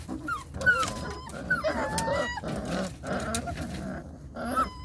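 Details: Belgian Malinois puppies crying out in rapid, repeated short yelps, some with thin whistled overtones. The bursts come roughly every half second before a brief trailing squeal.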